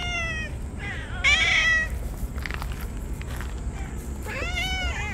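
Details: On a sweltering day, ear-tipped stray cats wail excitedly as they are fed, rubbing against one another; several short, bright meows overlap, some rising and falling, amid light outdoor background noise.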